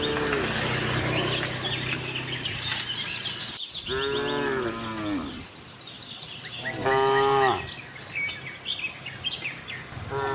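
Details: A herd of tame cattle roaming a farm in search of fresh grass moo in long, drawn-out calls that rise and then fall, with birds chirping behind.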